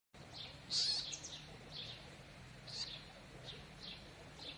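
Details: A baby stone marten (Martes foina) kept in captivity gives thin, high squeaks, repeated about once a second.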